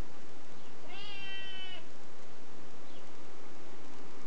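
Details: Niko the cat, said to be nervous and glancing behind him, lets out one clear, long, steady meow of nearly a second, then a faint short chirp, over low hiss.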